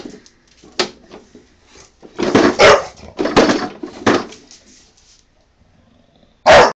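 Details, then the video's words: Honey, a pet Bulldog, barks in anger at a lawnmower: loud broadband barks cluster between two and four seconds, with softer growly sounds before, then one sharp final bark near the end after a quiet gap. "Honey, my Bulldog, getting mad at the lawnmower"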